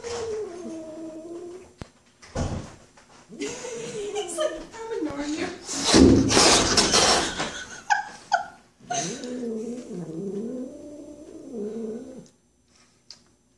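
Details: A pet cat named Sis, freaking out over the neighbour boy, makes low wavering moans at the start and again near the end, with loud human talking and laughter filling the middle.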